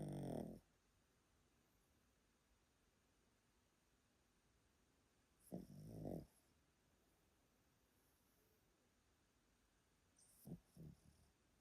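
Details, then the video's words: An elderly Pomeranian named Yotaro, asleep at a relative's home in Japan, snores in low rumbling bursts: one at the start, another about five seconds later, then a softer pair near the end, with quiet room tone between. "Pomeranian that snores loudly～おじいちゃんポメラニアン与太郎のぐぅぐぅ動画～"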